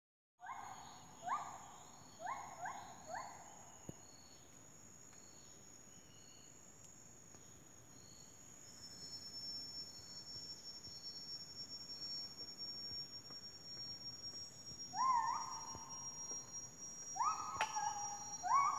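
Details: A howling monkey in Taman Negara, Malaysia, gives loud, hooting howls in short rising bursts over a steady high insect drone.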